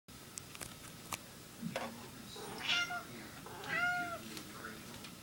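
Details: A female house cat indoors meowing to ask for eggnog, with her own very specific way of trying to get it; two drawn-out, harmonic meows, the second longer and gently falling, over soft clicks and small room noises.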